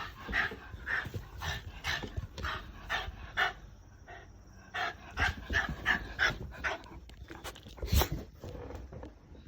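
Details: Female Shiba Inu in the countryside, lying in wait and dancing with joy as an older brother of the family returns home; rapid excited panting and short high whines in quick bursts, with rustling movement.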